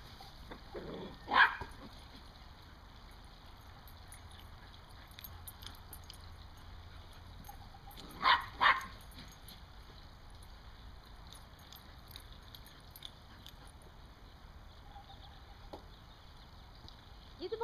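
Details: Dog herding squirrels, October 20, 2014: long quiet stretches of outdoor ambience broken by a single sharp bark early on and a close pair of barks later, with faint distant sounds in between.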